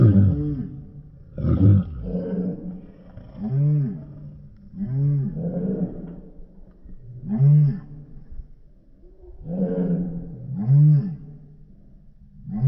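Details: Rottweiler barking steadily: deep, resonant, arched barks repeated roughly every second or so, about nine in all, with a low rumbling background between them.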